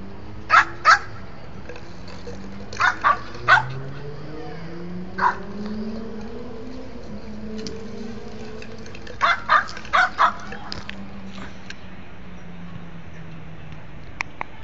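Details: Shih Tzu named Hanna, indoors dragging another bottle; short sharp barks and yips come in small bursts, a pair near the start, a cluster around three seconds and another run near nine to ten seconds, over a low steady hum.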